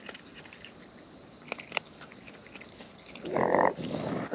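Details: Wild raccoons eating close up: sharp wet clicks and smacks of chewing scattered through, then a brief louder rasping burst near the end.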